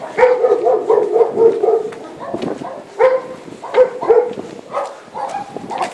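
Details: Dogs: Thor, a three-month-old puppy, with a Maremma sheepdog. High, tonal yips and short barks come in quick bursts, a steady run in the first two seconds, then separate clusters after a pause.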